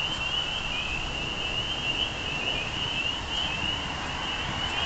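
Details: Chorus of spring peepers, countless high piping calls blending into one continuous trilling band that rises and dips gently throughout, set against a constant low background rumble.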